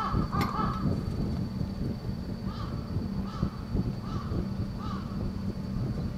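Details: In midwinter (14 February 2005) on the monkey mountain at Asahiyama Zoo, Japanese macaques huddling together against the cold give short, tonal calls that rise and fall, repeated every second or so.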